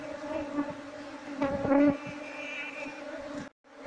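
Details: Buzzing of a wild Apis cerana honey bee colony during a search for the queen before moving the bees into a box. The humming drone swells louder near the middle, then briefly cuts out before resuming.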